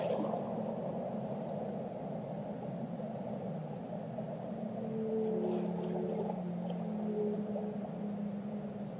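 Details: Faint whale song: a few layered tonal moans emerge midway, around five to seven seconds, partly buried in a heavy, rumbling underwater background.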